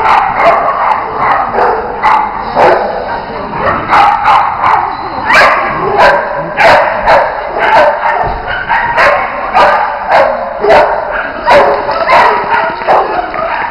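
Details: During jumping and agility, the Bearded Collies Otto and Roope bark in dense, excited volleys. Barks come thick and fast, at times several a second, with brief pauses between bursts and steady background hiss throughout.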